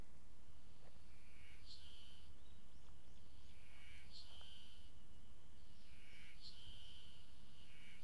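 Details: Ezo spring cicada at Maruseppu, Hokkaido, Japan, recorded on 16 June 2012: three shrill phrases about two and a half seconds apart, each with a sliding note that rises to a sharp accent, over a low rumble.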